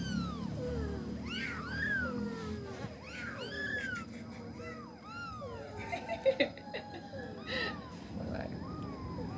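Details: Three kittens meowing together in high, medium and low tones. Their arched, rising-then-falling mews overlap and repeat rapidly over a soft background hum, with a few brief louder knocks midway.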